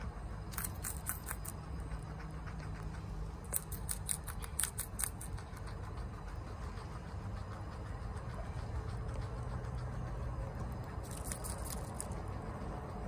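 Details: Pet guinea pig Chia, a female, eats bok choy at home. Crunchy bites come in short clustered bursts, about three groups, separated by softer gnawing, above a constant low droning hum.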